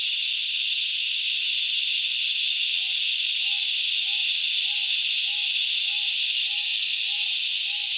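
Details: A loud, continuous high-pitched droning of cicadas in the Australian bush in summer. A low hollow note from another animal repeats about every two-thirds of a second in the background.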